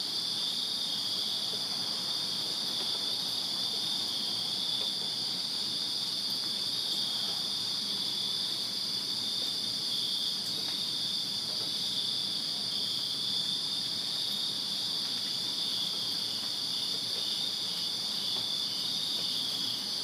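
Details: Backyard crickets in Virginia chirp through a summer night, a constant layered high trill from numerous callers that never pauses, over a soft low background hum.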